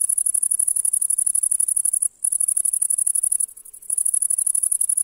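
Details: Grasshopper stridulating in grass on a summer meadow in July, a piercing high-pitched buzzy trill of fast pulses, cut by a brief gap near the middle and a longer lull before resuming.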